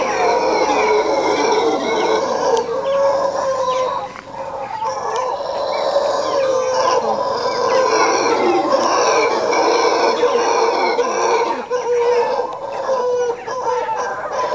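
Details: Eerie howling of howler monkeys at Quepos, Costa Rica: overlapping gruff, throaty roars rising and falling in long waves, briefly dipping in loudness before the group chorus returns strongly.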